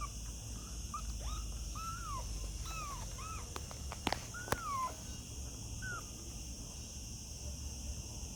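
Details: Kittens giving soft, short mews, several in quick succession, some with a downward bend, mixed with a few sharp clicks and knocks, then quieter near the end.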